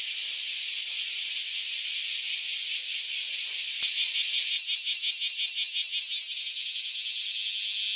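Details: Cicadas that emerged after about ten years underground sing in a loud group chorus; steady high buzzing, then a sharp click near the four-second mark and a stronger pulsing, throbbing rhythm afterward.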